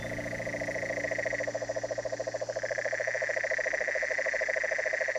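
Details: A dense toad chorus of fast, rattling pulses, about three or four a second, from riverbanks in sea-level tropical forest in Costa Rica west of the Talamanca range, under a steady high insect whine; insects outdo the toads in volume.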